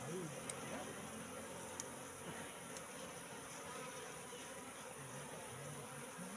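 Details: Wild Asian honey bees (Apis cerana) moving into a trap box that had been set out for three months: a steady, dense hum of many wings with low droning bands and a few sharp clicks.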